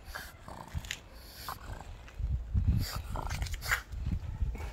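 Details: A pug gives short, gruff barks among low snorts and grumbles while on guard patrol in a back yard.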